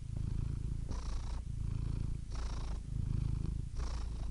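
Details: Purring house cat, a low vibrating rumble broken into breath cycles of roughly one and a half seconds, with airy hissing at each switch of breath.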